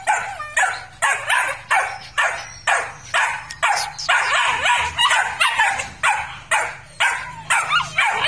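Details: A pair of large purebred Malinois, fiery red in colour, at a breeding kennel in Vietnam. Fourteen or so harsh barks repeat at a fairly steady pace over eight seconds, each short and bright with a raspy tail.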